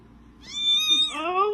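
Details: Kitten giving a single drawn-out meow, clear and high, holding steady then sliding down and rising again toward the end; quiet room, no other sounds.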